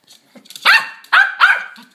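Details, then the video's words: A Yorkshire terrier named Suzy barks during ball play: three loud, bright yips, the last two close together, with faint background shuffling. "Suzy Playing with a Ball"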